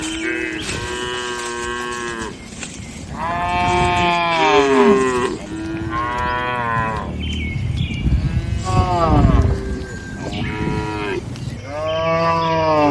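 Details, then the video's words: Cattle in a traditional village shed at night, several deep moos with rich stacked harmonics, some bending downward, sounding roughly every two seconds over a low rumbling background. "Suara Malam di Kandang Sapi Lembu"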